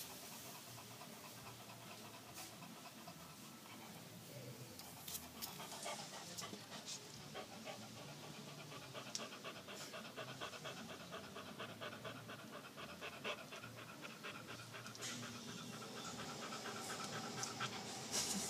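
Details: Panting from Moza, a female boxer: rapid, evenly pulsed breaths run continuously, a dense train of soft huffs that grows slightly louder near the close, with light rustling in the background.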